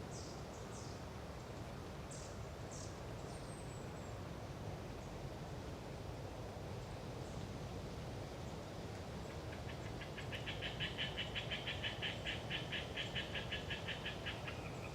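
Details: Hyla orientalis tree frogs chattering on a windy autumn day in Galeriç Swamp Forest, Kızılırmak Delta, Samsun. Thin high bird calls open, then a rapid pulsed rattle of frogs rises from about ten seconds, over a steady low wind rumble.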